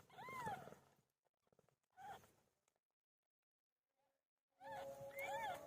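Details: During PILO the cat's labour, a few arched mewing cries, one at the start, a softer one near two seconds and another at the end, separated by near silence, with faint rustling and a steady tone near the close.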